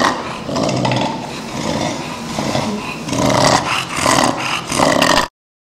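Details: English or French bulldog with brachycephalic syndrome, an overlong, thick soft palate at the trachea entrance causing snoring and breathing difficulty; loud, harsh rasping breaths, rough and noisy, in repeated surges across the clip.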